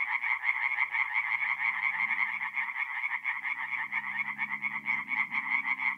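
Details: Singing tree frogs at a forest pond in North-East Italy on an April night: a loud, continuous rattle of many croaking frogs over a faint low droning hum.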